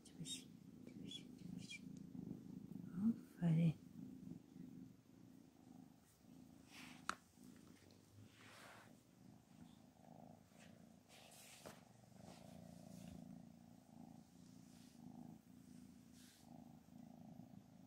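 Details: Anna, a domestic mother cat said to be angry and no longer accepting her kittens, purrs in a steady low rumble indoors while a person talks over her, with a few sharp knocks and handling noises.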